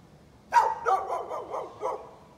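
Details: Neighbor's dog, 11-13-2020, giving a rapid burst of about five barks in under two seconds, the first loudest, the rest slightly softer and evenly spaced.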